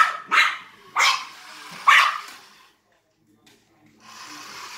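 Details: Maltese dog barking while chasing a remote-control cop car: three sharp barks about a second apart, then quiet, then a soft rushing noise, likely the toy car.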